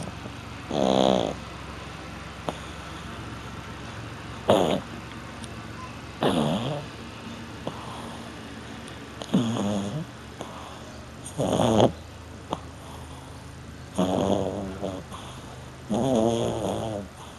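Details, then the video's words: French Bulldog snoring while asleep: rasping, buzzy snores rise and fall every two to three seconds, some loud and throaty, others softer, over a constant low hiss in the room. "bouledogue ronfleur/snoring french bulldog"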